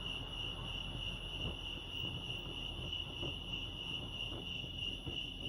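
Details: Crickets chirping at Lake Arrowhead, California: a steady, unbroken high trill held at one pitch, with a fainter overtone above, over a low rumbling background and scattered soft clicks.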